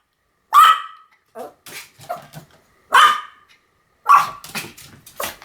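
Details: A Pomeranian dog gives loud, high-pitched barks about once a second. Softer, lower yelping or grumbling noises fill the spaces between the strong barks, in an indoor setting.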